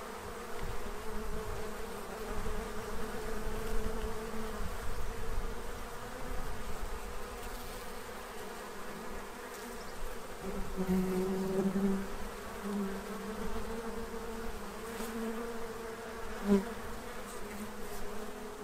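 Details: Many bees feeding at a tray to prepare for winter in Central Illinois. A continuous buzzy drone in stacked low tones, rising and falling in pitch as individuals fly near, with one sharp close pass toward the end.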